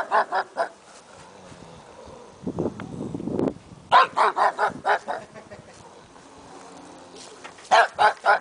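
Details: Pug barking in three quick bursts: about four sharp yaps at the start, a run of six after a pause with some low rustling, then four more at the end, each bark short and bright.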